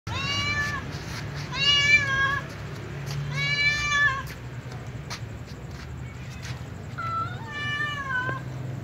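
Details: Calico cat meowing at night while eating together with other cats; four drawn-out, harmonic-rich meows, the first three steady and evenly spaced, a last pair softer and shorter near the end, over a low steady hum.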